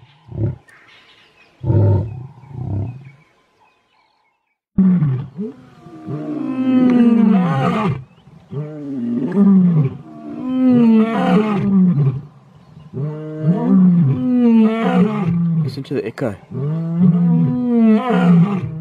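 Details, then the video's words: Mpondo males, big male lions in South Africa, roar together: a few short low grunts, a brief gap, then long overlapping moaning roars that sweep down in pitch and build into a continuous chorus. "Big male lions roaring"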